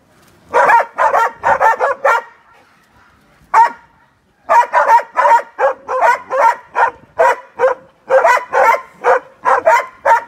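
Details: Two hunting dogs in training on wild boar; a quick burst of barks, then a two-second lull broken by one lone bark, then rapid, evenly spaced barking resumes to the end.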